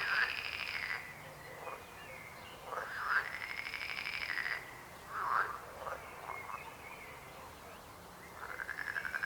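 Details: Croaking frogs, with drawn-out pulsed trills lasting about one to two seconds mixed with short sharp croaks, several callers overlapping in a continuous chorus.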